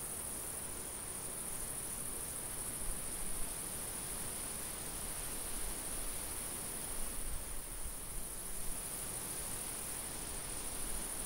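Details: In a summer field, crickets give a continuous, shrill, high trill at an even pitch, with a light wind adding a low, uneven rush beneath.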